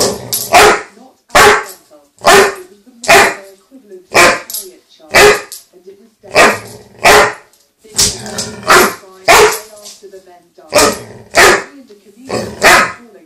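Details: Agitated male chocolate Labrador upset about a toy lost under the sofa, letting out a long, steady run of loud, rough barks, roughly one or two per second, some doubled, with little else audible.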